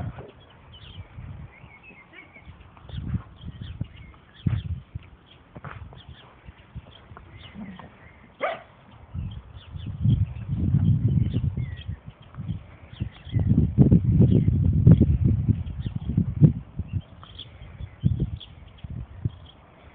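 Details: Dandie Dinmont Terrier mother named Lady playing with her puppies and other dogs; low, rumbling growls come in uneven bursts, a sustained stretch around ten seconds and a longer, louder one later, with scuffling between.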